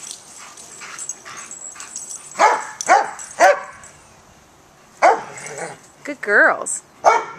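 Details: Playful barking between Joy, an older German Shepherd, and Riley, a one-year-old Pittie, both rescue dogs up for adoption: a quick run of three harsh barks, a pause, then more barks and a wavering yelp, with human speech mixed in.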